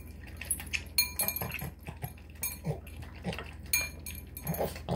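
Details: Hungry Boston Terrier Marky devouring tuna, egg and kibble in minutes, snorting like a pig: rapid, uneven snuffling bursts and wet chomping roughly twice a second, with occasional dish clinks.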